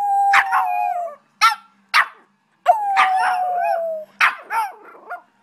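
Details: A female Boston Terrier gives two drawn-out howls that slide gently downward, with a person praising her between them.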